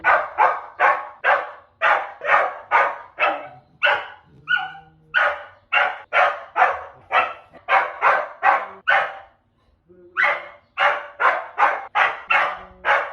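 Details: Dog barking only, the final stage of a sound-habituation training sequence; rapid, loud, evenly spaced barks, about two per second, with a short pause near the middle.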